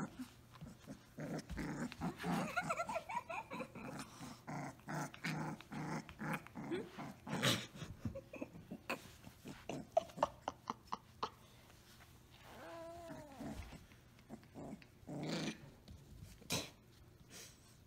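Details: Playful Samoyed puppy called Orange Girl growls in a long run of gravelly pulses, then a few whiny rising yips near the end, with scuffling, a person speaking and laughter.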